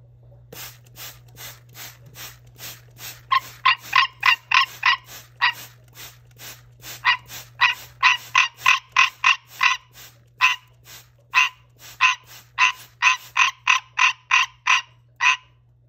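A green treefrog gives a rapid series of nasal, bell-like quonks, repeated several times a second.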